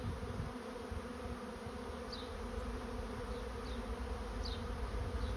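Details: Swarm of honey bees entering a swarm trap: a steady low hum of many wings, dense and continuous, with faint high chirps from a bird in the background.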